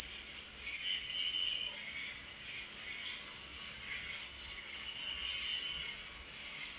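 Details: Cricket chirping at night as a constant, sharp, high trill, overlaid with fainter fluttering chirps that rise and fade in short phrases.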